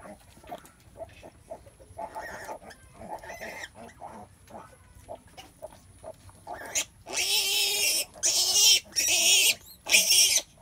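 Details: Sow giving birth, restless in labor; soft low grunts repeated about once a second through the first half, then loud broad rustling bursts like straw being moved dominate the last four seconds.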